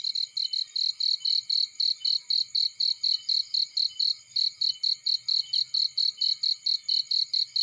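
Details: In a field beside a burning fire, a cricket chirps steadily, about four high, pure pulses each second.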